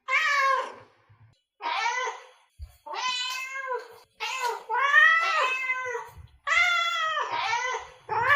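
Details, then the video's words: Urgent, closely packed cat meows meant to attract cats, several overlapping and wavering, some strained and yowling, coming in quick bursts with barely any pause between them. "Meows to ATTRACT Cats (Meow Sounds to Attract Cats)"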